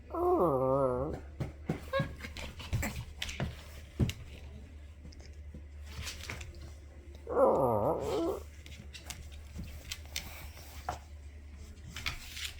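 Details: Pit bull hidden under a sheet making funny noises indoors: two high, wavering whining yelps, one at the start and one about seven seconds later, with soft rustling and quiet background hum between them.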